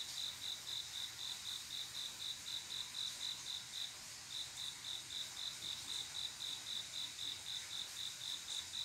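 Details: Night-time song of a male cricket calling a female to mate, a rapid run of evenly spaced chirps with a brief pause near the middle before the steady rhythm resumes over quiet background hiss.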